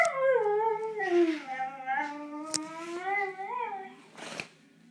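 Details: Female dog that escaped her cage, indoors, giving a sustained wavering howl that dips and then rises slightly over about four seconds, with a few sharp knocks and a short burst of noise near the end.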